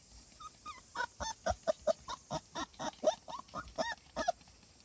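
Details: Cardigan Welsh Corgi puppy at the vet for a health check and vaccination, recorded 16 August 2020; a quick run of about a dozen short, high, slightly bending yelps within four seconds over a steady background hiss.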